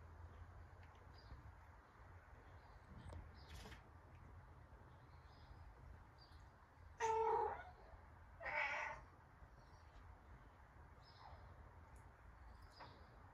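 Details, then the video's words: Domestic cat meowing because it wants to go outside: two drawn-out harmonic meows about a second and a half apart, the first slightly falling, over a steady low hum and faint background noise. "Cat Meowing To Go Outside"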